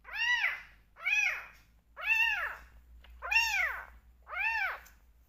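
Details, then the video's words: Bottle-fed rescue kittens meowing noisily at milk time, wanting attention: five strong, arched meows about once a second, with a faint low hum in the background. "Only 2 Rescue Kittens Left but Still Making Noise During Bottle Feeding!"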